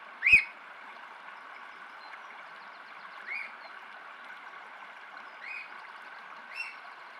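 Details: An otter mother with her youngster gives short, high squeaky chirps a second or two apart, opening with a sharper, louder squeal, over a steady rushing hiss like running water.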